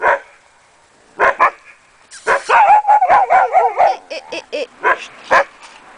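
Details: Akita Inu puppies from the Empire des Samouraïs kennel giving bursts of high barks, with a stretch of rapid, warbling whimpers and yips running together before spaced single barks.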